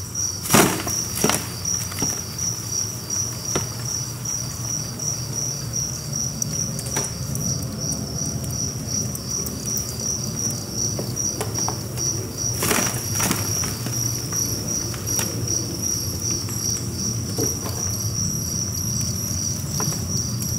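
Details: High, insistent chirping from a captive mass of about 1000 two-spotted crickets in a cricket apartment, steady throughout, mixed with rustling, scratching and a few sharp taps and clicks.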